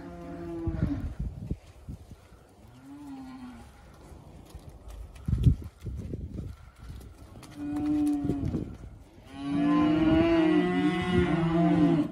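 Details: Hereford steers, a group of 54 born in March or April, averaging 372.8 kg: several short, low, tonal moos in the first seconds, quieter lowing in between, then a long, loud, rich bellow over the last three seconds.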